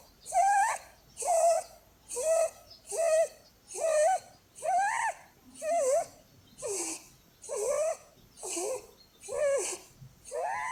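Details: A sleeping Holland Lop named Blueberry, a female pet rabbit, snores steadily; eleven short whistled, nasal snores come roughly once per second, some wavering in pitch, with a faint hiss between breaths.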